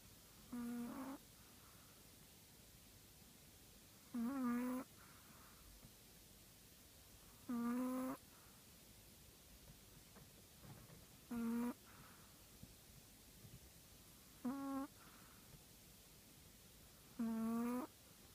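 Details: Chihuahua snoring indoors; six rhythmic nasal snores roughly every three to four seconds, each a short harmonic wheezing buzz, separated by quiet breathing.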